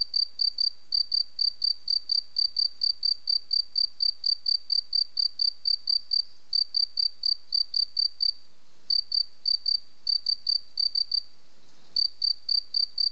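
A cricket gives a high, ringing, pure-toned chirp, repeated rapidly at about three or four per second. The rhythm holds steady apart from a couple of short breaks, over an otherwise quiet background.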